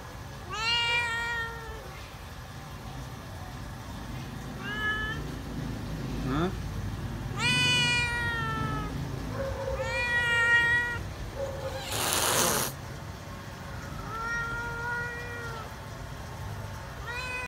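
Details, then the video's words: Feral cat, afraid of people, repeatedly meows as it waits to be fed: about six tonal meows of varying length over seventeen seconds, mixed with Vietnamese speech, a short loud hiss of noise, and low background rumble. "ĂN KHÔNG ĂN CỨ KÊU MEO MEO"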